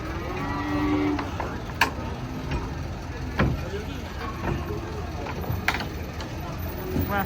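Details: Big cattle coming down off a truck; a short harmonic moo near the start, then mostly rumbling engine-like noise with sharp clanks and knocks of handling and metal.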